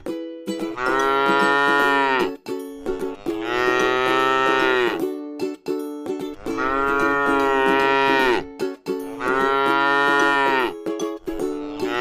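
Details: A tame cow grazing in a rice field moos four times, each call about two seconds long, rich and harmonic with a drooping finish, while plucked string music plays throughout.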